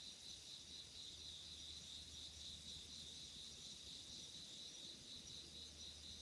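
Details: Autumn night chorus of insects recorded in 2016: continuous high, rapidly pulsed cricket-like trilling holding steady throughout, over a faint low droning hum.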